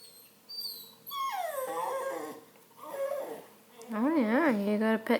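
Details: Redbone Coonhound puppy whining indoors with a cat nearby: drawn-out whines sliding downward in pitch, then a wavering, warbling whine near the end, with a woman talking over the sounds.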